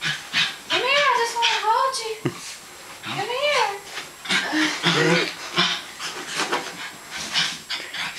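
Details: West Highland White Terrier Zoey, playing and resisting a hug, gives drawn-out wavering whines that rise and fall in pitch, mixed with grumbly growls and a person talking over her.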